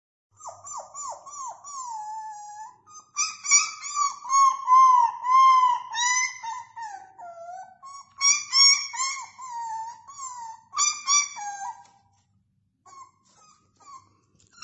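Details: Beagle puppy gives long, quavering whines and yelping howls, each bending down in pitch, strung together almost without pause for twelve seconds, then falls quiet with a few soft sounds, in a small indoor space.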